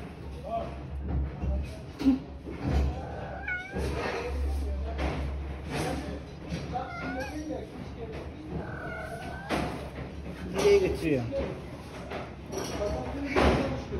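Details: Kittens living with their mother on the street; several short, rising and falling meows scattered through the clip, mixed with a person talking, rustling and handling noises.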